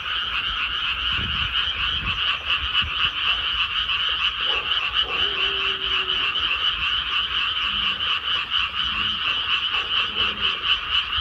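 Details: Many frogs croaking in a rice paddy once planting is finished, forming a continuous buzzing wall of fast pulsed calls, with a few brief lower tones around the middle and end.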